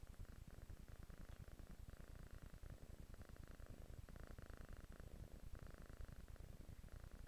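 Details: Kitten on a couch purring: a steady, dense low rumble of rapid pulses throughout, with faint mid-range banded hum in the background.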